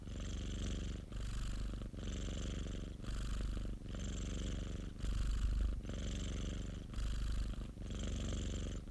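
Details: Domestic cat kept by a friend of the recordist, purring in a self-recorded session: a steady low rumbling drone that swells and fades with each breath, roughly one cycle per second, with a soft airy hiss over each phase.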